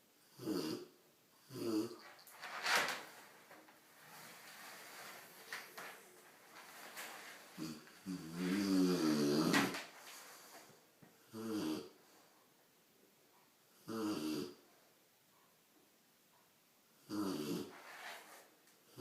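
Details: Big Rottweiler puppy sleeping and snoring loudly indoors, with rough, rasping breaths in a rhythm of about one every two to three seconds, some longer and gurgling.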